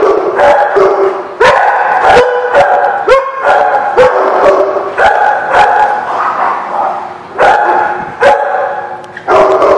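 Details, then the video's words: Dogs barking repeatedly in a dense, overlapping chorus, loud sharp barks from several animals with brief pauses between bursts. "The Barking Lot"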